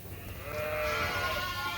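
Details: Suffolk lambs in a farm barn, groups mixed together after a gate was left open and now running in a large pen; one sustained, quavering bleat rich in harmonics fills most of the moment above low background noise.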